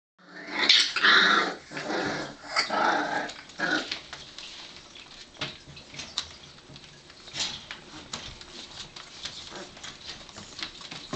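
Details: Four-week-old Bull Terrier puppies give squeaky whines and small growls, then settle into soft shuffling and clicks.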